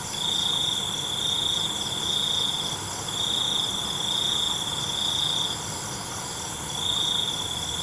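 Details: Crickets at night: a steady, high-pitched trill comes in swelling bursts of one to two seconds with brief dips between, over a constant shimmering chorus of other high insects.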